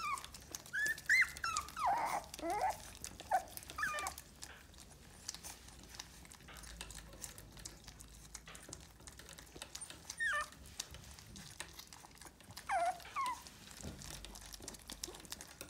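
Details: American Cocker Spaniel puppy indoors making short, high, wavering whimpers and squeaks in scattered bursts, with long quiet gaps and faint rustling and clicks.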